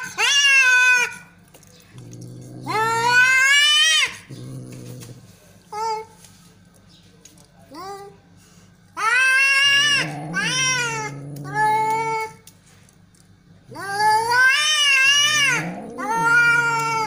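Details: Fighting cats in an aggressive standoff: loud rising yowls, short clipped meows and throaty growls alternate, ending in a pair of long wavering wails.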